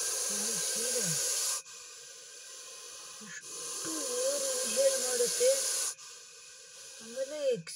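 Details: Agitated Russell's viper hissing after a dachshund attacked it: two long, steady, breathy hisses with a pause between them, partly covered by a man talking over the sound.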